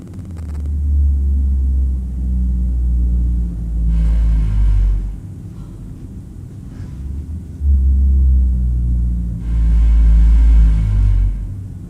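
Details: Blue whales feeding on a massive krill swarm at the shelf break in Monterey Bay give three deep, rumbling foraging calls. The low moans sweep downward with brief noise bursts between them. The calls were recorded about 3000 feet outside the bay.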